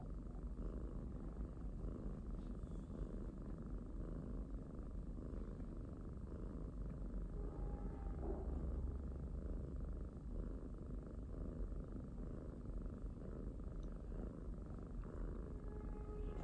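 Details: Pet domestic kitten purring in a low, even rumble throughout, breath-paced pulses continuing steadily, with a faint brief higher tone near the middle.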